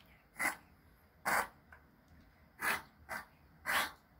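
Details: Male Pomeranian named Choco, born 13 May 2020 and ill for two months, lets out four sharp, hissing sneezes at irregular gaps of about one second, each a brief burst of air.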